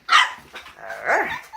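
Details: Border Collie puppy giving a sharp, high yapping bark followed by a shorter, wavering yelp, loud and close, while the puppies play and chase.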